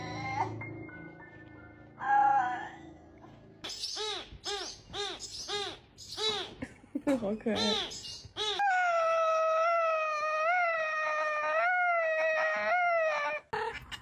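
Quick, bouncing chirp-like notes from a domestic cat give way to a drawn-out, wavering moan like a creaking door. Cats use such sounds to express mood, curiosity and demands; narration and music are heard at the start.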